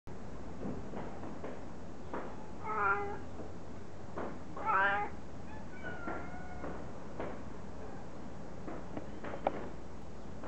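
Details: A cat meows twice loudly with rich harmonic tones near three and five seconds, followed by a softer, drawn-out flat call; scattered knocks and clicks over a steady low hum.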